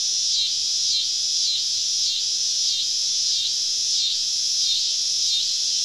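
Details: A chorus of cicadas deep in the woods on a summer evening in the South, recorded while camping: a loud, shrill buzz that dips and surges in rhythmic waves about every half second.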